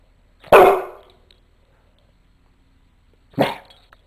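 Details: A Rottweiler mix gives two deep, single barks about three seconds apart, barking for no apparent reason.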